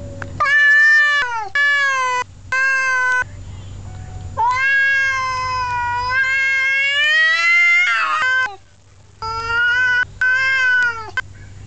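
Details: Male cat scolding another male with long wavering yowls, rising and falling in pitch. Several sustained cries each last one to four seconds with short breaks between. Loud and strongly harmonic, with faint hum underneath.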